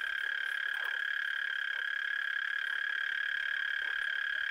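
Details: Night frog chorus near Hłomcza in Sanok commune, Poland, heard from moonrise to moonset: a continuous, even buzzing trill at one steady pitch with a higher overtone, with faint scattered clicks beneath.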